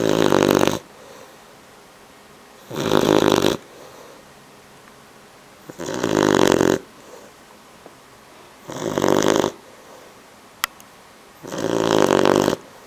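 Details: One of two 12-week-old male Bloodhound puppies from the same litter snores while asleep, a raspy rumble on each breath about every three seconds.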